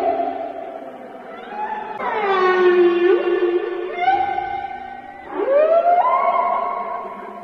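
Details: Whale calling with long tonal moans, rich in harmonics, that slide up and down; a sharp upward sweep at about two seconds and another rising moan near five seconds, with a steady resonant background.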